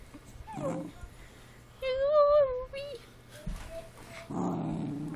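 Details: A female Cavalier King Charles Spaniel pet having a bad day whines, not growls, while someone tries to cheer her up. A single high, wavering whine lasts about a second, with softer murmurs and people talking nearby.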